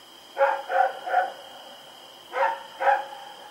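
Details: Rex, a dog, running around and barking at night, recorded on Oct 7, 2018: two quick groups of sharp, mid-pitched barks, three then two, over a steady high electrical hum.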